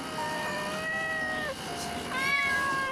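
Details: A kitten living on a steep cafe roof, carried up there by its mother the day after birth, gives two urgent, high, drawn-out meows in the evening, calling for its mother.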